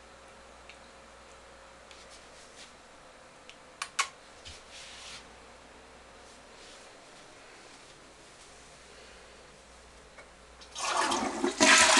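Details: A quiet small room holds faint ticks and a few sharp clicks, then a loud rush of broadband noise in the last second.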